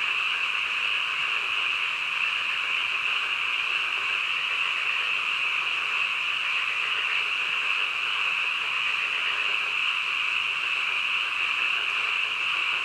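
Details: Late-night frogs croaking together as an even, unbroken high buzz, individual calls lost in the mass of the chorus from start to finish.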